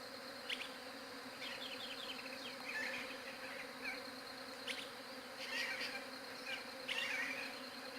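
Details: Bees recorded on a Galaxy J7 Prime 2 phone: a steady, unbroken droning hum with layered overtones, while scattered high chirps and short sharp clicks from other creatures break in around the second, fifth and seventh seconds.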